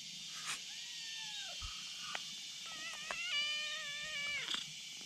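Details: Kitten lying on a bridge beside another kitten, meowing to call a black cat over: a drawn-out meow followed by a longer, level, slightly wavering meow that drops at the end, over a steady high buzzing background.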